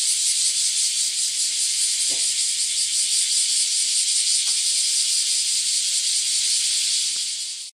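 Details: A loud, unbroken chorus of bear cicadas, heard while walking an alley in front of a house in early morning: a dense, high-pitched buzzing hiss so noisy it never lets up.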